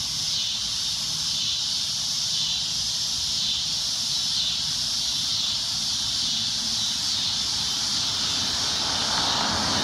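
A cicada gives a loud, shrill, unbroken drone that holds steady throughout.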